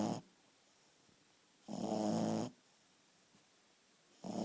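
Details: A Shih Tzu called Chewy asleep, letting out a loud buzzing snore almost a second long between the tail of one snore and the start of the next, indoors with quiet pauses.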